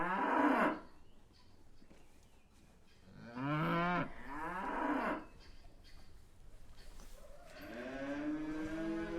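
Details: Dairy cattle lowing in a series of drawn-out moos, the middle calls wavering in pitch, the last one long and steady, over a faint low background rumble.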